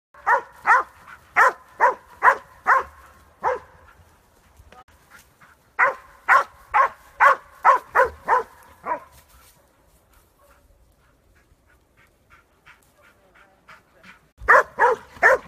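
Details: A Catahoula Leopard Dog in bay-dog training on hogs in a fenced wooded area bays in fast runs of sharp, ringing barks, about two each second.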